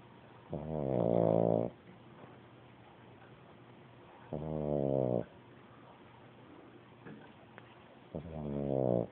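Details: Sleeping pug pup snoring indoors: three long, rasping, buzzy snores, each lasting about a second, spaced roughly every three to four seconds, with soft breathing in the quiet gaps between them.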